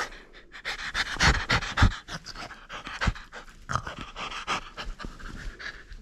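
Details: Rapid, heavy panting from a French Bulldog at play that refuses to let go of its toy; loud raspy snorts early on, then steadier rough breaths.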